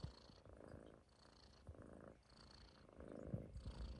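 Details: Munchkin kitten snoring while sleeping on a person's stomach: steady cycles of raspy, low in-and-out breathing, each about a second long, with a faint airy hiss on every breath.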